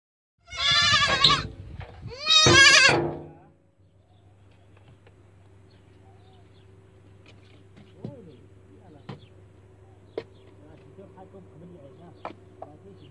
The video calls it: اصوات الحيوانات هذا خلق الله \ جمال صوت صغار الماعز